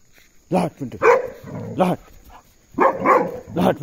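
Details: Puntu, a Belgian Malinois, barks as it herds an ox away; a handful of hoarse, harmonic barks in two clusters, mixed with a man's shouted commands.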